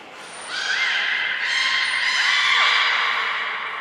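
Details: Beluga in training and pool moving at Port of Nagoya Public Aquarium, Japan, 14 March 2021 (Hodoi, Taanya, Mirai): a rich harmonic squeal lasting three seconds that wavers and ends in a falling slide, with short high peeps at the start.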